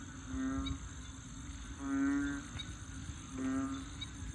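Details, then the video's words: A frog gives deep, moaning, nasal calls like a bullfrog's bellow, each about half a second long and repeated every second and a half, in wetlands at Bình Quới, Thanh Đa, Ho Chi Minh City, where three frog or toad species sing. "Frogs Singing In Saigon"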